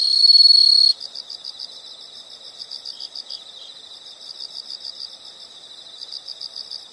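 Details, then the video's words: Insect chorus outdoors: a brief loud shrill trill that stops after a second, followed by soft rapid rhythmic chirps, about four per second, continuing at low volume. "the sound of insects"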